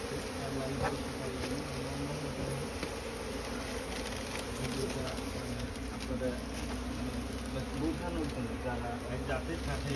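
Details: Asian honey bee colony nesting inside straw; continuous low droning buzz of many bees, with a faint engine-like rumble and distant voices underneath.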